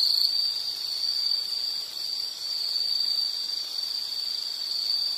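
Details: One insect's unbroken high-pitched trill holds level and shrill throughout, over a soft hiss of background noise.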